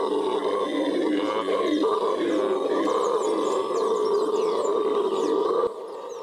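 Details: Venezuelan red howler monkeys (Alouatta seniculus) of the western Amazon roar in a deep, continuous, rumbling chorus that swells and surges without pause; howler monkey.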